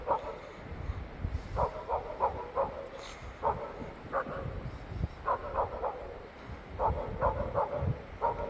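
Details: Five Jindo dogs lined up on a gated driveway after snowfall, 16 January 2023, bark in quick, overlapping bursts with short pauses between volleys; the lowest-ranked dog barks at the front.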